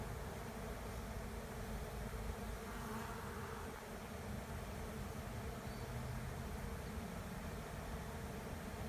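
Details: Honey bee swarm moving into an empty hive at the end of a driveway: a steady, dense low droning buzz with no breaks, heaviest in the deep register, a faint brighter shimmer rising briefly midway.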